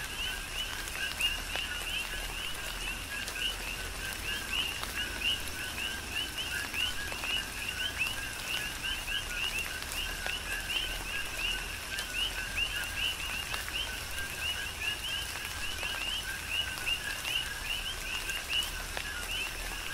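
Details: Many coqui frogs on Hawaii's Big Island keep up a steady, overlapping chorus of quick two-tone chirps during tropical rain. Raindrops tap and patter constantly behind the calling.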